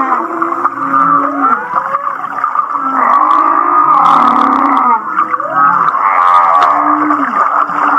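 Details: Humpback whale song recorded off Kihei, Maui, described as sounding like laughter: overlapping sliding moans and wavering tones around mid pitch, with rapid pulsed chuckling phrases and a low steady hum beneath.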